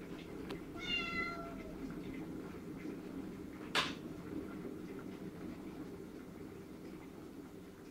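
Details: Domestic cat indoors, desperate to go out into the garden for patrol and seeking its people's attention; one short meow with a falling tone, then a sharp click or knock, over steady low room hum.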